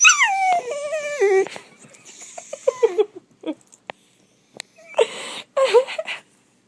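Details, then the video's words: Pet dachshund reacting to a sound that drives him nuts: long stepped whining howls that fall in pitch in stages, then broken yips and breathy yodel-like cries over about six seconds in a small room. "My little wiener makes weird noises"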